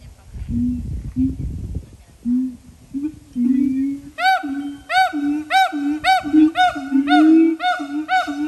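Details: Siamang calling at Dubbo Zoo, Australia: low, hum-like hoots at first over some rustling. From about four seconds come bright, ringing whoops, repeated more than once per second, each swooping up and down.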